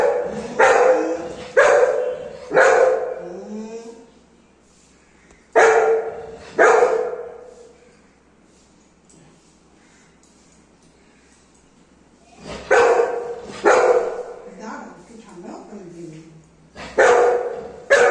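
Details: Anna, a female Golden Retriever kept as a family pet, barking in annoyance while waiting for hot rice to cool; loud bursts of barks in clusters with short whines between them and quiet pauses.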